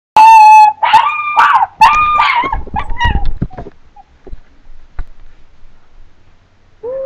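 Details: Two Chinese Crested dogs, aged two and three, howling: a long, steady, high wail, then wavering yodel-like howls that break into short yips and fade, with a fresh howl starting at the very end.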